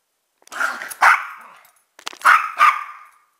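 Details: A pet dog, one of two mixed-breed dogs in the home (a chihuahua-pug mix and a rat terrier, pitbull, Jack Russell and beagle mix), gives four sharp, bright barks in two quick pairs about a second apart; otherwise quiet.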